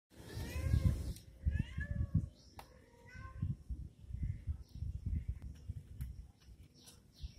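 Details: Kittens fighting: a series of short, high mews that rise and fall, clustered in the first three seconds, over low thumps and scuffling, followed by fainter scattered mews.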